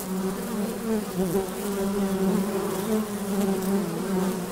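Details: Droning honey bees at the hive entrance: a steady low hum, with bees passing near that add wavering, slightly rising tones over the constant background buzz.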